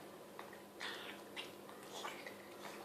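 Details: Mia, a Chihuahua, snarfing homemade chicken soup indoors: wet, breathy snorts and slurps in short bursts, three louder ones spaced about half a second apart, over a faint steady room hum.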